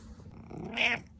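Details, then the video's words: Content male pet cat producing a brief rising chirpy meow that swells to a bright peak and then fades, heard against a quiet indoor background. "Happy Meow Reows"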